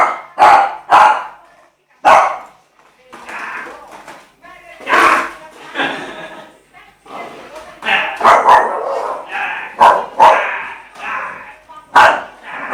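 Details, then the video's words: Young male Shih Tzu, eight months old, scared of a skateboard, barking in short yappy bursts, some doubled, with people talking throughout and brief quieter gaps. "Shih Tzu scared of skateboard"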